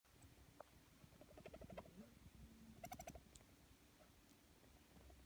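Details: A female sugar glider, temporarily separated from her cagemates, warbles softly in quick chirping bursts; she makes this sound when seeking food or attention or while exploring, and the owner had never heard it before.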